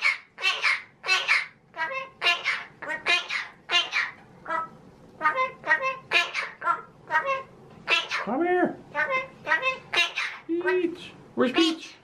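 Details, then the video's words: Talking pet male magpie chattering indoors: a long run of human-like babbled syllables, with a few rising and falling tonal notes near the end. "Pie the talking Magpie Is back In Action!"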